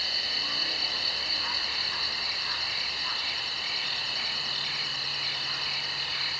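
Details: Woodland insects at night form a dense, continuous chorus of high trilling drones with a fast, even, very high pulsing above, and faint lower chirps flickering in and out.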